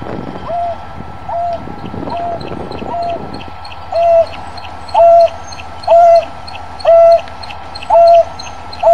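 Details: A lost African wild dog gives soft, hooting contact calls about once a second while looking for the rest of its pack.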